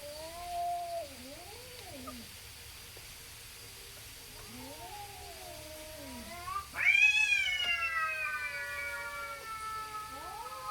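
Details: Two tabby-like neighbourhood cats in a standoff before fighting: low wavering growl-yowls, then a sudden loud high-pitched screech that slowly descends and fades into a drawn-out wail.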